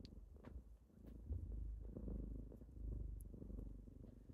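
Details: Kittens purring on a typical morning as they wake their owner; low, steady rumbling purr with rhythmic swells, a few soft clicks and rustles.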